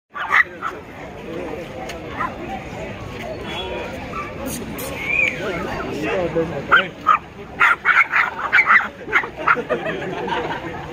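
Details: Aggressive brown Pomeranian puppies yap and growl in short, high, irregular bursts, with voices in the background.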